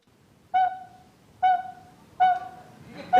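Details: American bullfrog gives a single deep, resonant drone of under a second that swells and fades smoothly, a rich low moan like a bowed bass or horn, over faint background hiss.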